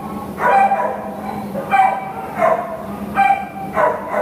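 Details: American Pit Bull Terrier awaiting adoption at a shelter, recorded 26 August 2015; five loud, hoarse barks in a row, roughly one every three quarters of a second, over a steady background hum.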